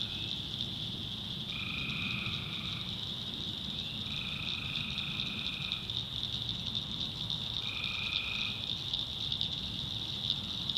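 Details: Tree frogs calling after dark in a North Carolina backwoods swamp: unbroken high ringing chorus with three distinct trills, each a little over a second long, arriving at uneven intervals.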